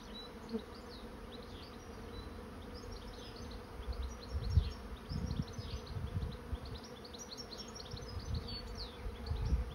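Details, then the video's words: A swarm of honey bees entering a swarm trap hums in a constant low, multi-toned buzz. Gusty low rumbles swell through the second half, and scattered high sliding chirps sound above. "Bee swarm moving into trap"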